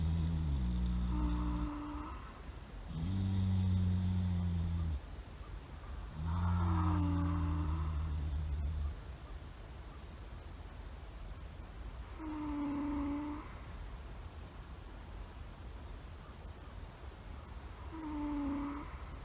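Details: Two sleeping horses, a stallion and his one-and-a-half-year-old son lying nearby, snoring: deep, droning, tonal groans in long drawn breaths, recurring roughly every five seconds, some swelling louder than others, with a steady low background hum.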